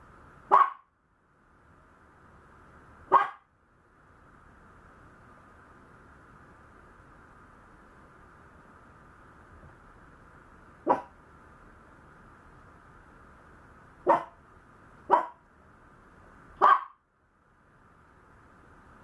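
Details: Maltese puppy giving short, sharp barks or yips, six isolated bursts spread irregularly across nineteen seconds, with quiet gaps between them over a steady low hum.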